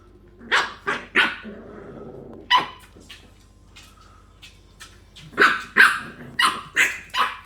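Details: Playing English bulldog puppies bark in high, scratchy yaps, a few early ones with a low growl between, then a lull before a rapid closing series of about six barks.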